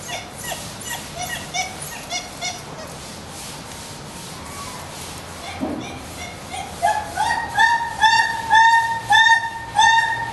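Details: Male Ein and female Stein, a dhole pair at Tennoji Zoo, filmed December 2012, whining while moving about, apparently reacting to a siren; short high whimpers with bright overtones, quickening into a steady run of repeated whines every half second.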